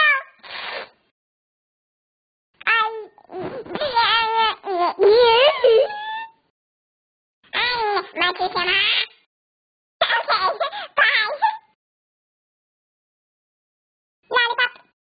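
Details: Cat making funny noises: bursts of wavering, bending yowls and chirping meows, several strung together in quick runs, separated by silent pauses of one to three seconds, ending with one short call.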